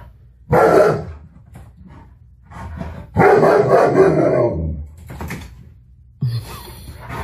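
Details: Tonka, an Alaskan Malamute, barking at a mannequin head on first sight; two long, loud, hoarse woofing barks indoors, the second drawn out, followed by a shorter sound at the end.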